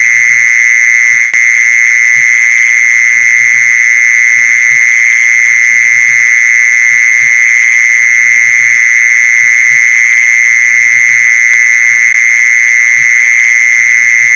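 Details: Mole cricket call for luring its kind: a constant, high buzzing trill with no pauses, a fainter overtone higher up, and quiet low thuds dotted through the background.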